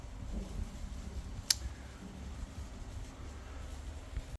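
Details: A low mechanical fan hum fills a small room, with a single sharp click partway through and no animal sounds.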